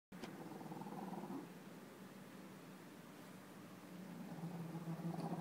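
A French Bulldog snores with a low, rattling rumble that pulses steadily with each breath.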